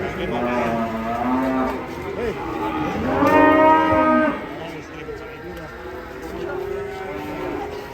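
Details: Enraged cattle giving repeated moos: a drawn-out low moo, a louder, richer bellow in the middle lasting over a second, then softer, wavering lowing to the end.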